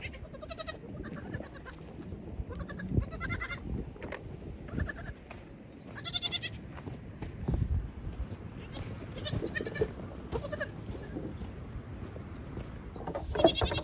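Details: Evening goat herd of about 32 kids charging and hopping about while the mothers have their grain; short quavering bleats come every second or two from several animals, with rustling, thuds and hoof noise beneath.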